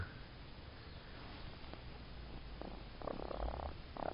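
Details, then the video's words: A baby raccoon in the United States purrs with a low, steady, throbbing rumble while being petted. "My baby raccoon "Mustard" purrs!!"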